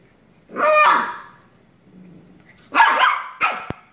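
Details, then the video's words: Shiba Inu puppy wrestling with its sister, letting out a long rasping bark, a soft low grumble, then a quick pair of sharp yips. "Shiba Puppy tackles sister"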